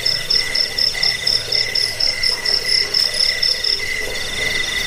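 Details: Crickets chirping. A shrill, buzzy pulse train sounds roughly every half second, with a lower, softer trill layered underneath. The recording is offered as a rat repellent and as a tutor track for cage birds.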